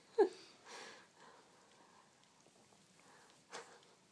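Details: Domestic cat sneezing indoors during a head lick: a sharp snorting burst at the start, a breathy hiss-like puff just after, then another short, sharp sneeze a few seconds later, with quiet room tone between.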